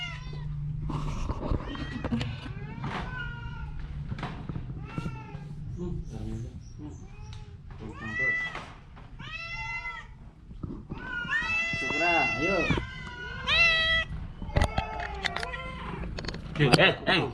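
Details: Ailing orange cat with a cough and cold meows repeatedly. The calls are short, bent and wavering, and some near the end are longer and louder. Human voices chatter around them over a steady low hum.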